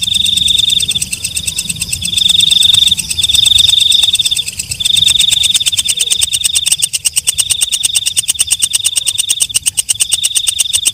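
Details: A walang kecek katydid sings in high shrill bursts of one to two seconds with brief gaps between them. The song then shifts into a steady, rapid ticking that runs on continuously.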